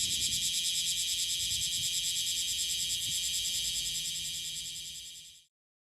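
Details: Bear cicada from Okinawa, Japan, a big 6–7 cm insect heard late June to mid-August: rapid regular pulsing buzz, high and metallic, that steadily weakens and cuts off near the end, leaving silence.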